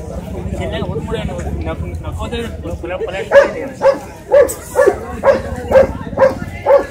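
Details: A Shih Tzu dog gives a steady run of eight sharp barks, evenly spaced about half a second apart, after a few seconds of voices and background noise.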